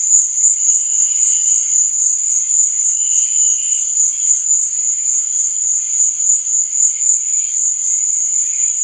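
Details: Crickets chirp at night in a dense, high, metallic trill that throbs quickly and steadily, with quiet, lower humming tones in the background.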